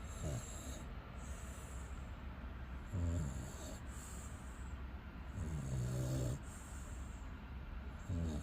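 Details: American bully named Xiong Da asleep beside its owner, snoring loudly: low rumbling breaths below the mid range, drawn in every few seconds with louder rasping bursts near three, six and eight seconds, steady low hum underneath.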